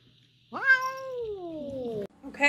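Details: Domestic cat giving a long meow of about one and a half seconds that rises sharply, then slides slowly downward, followed by a brief quieter cry and a person talking.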